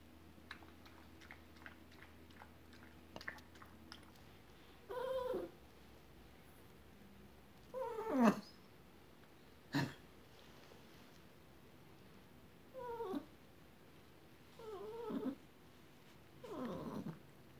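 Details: Small white poodle, thirteen years old, in a neck cone following hip dislocation surgery: a series of short, soft whimpers and squeaks, about six of them spaced a few seconds apart, with low room hum between.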